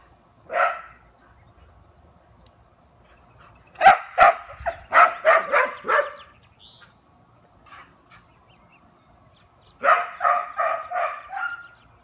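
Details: Dog named Taco Gary barking: a lone bark, a pause, a fast volley of about seven barks, another pause, then a closing string of five barks.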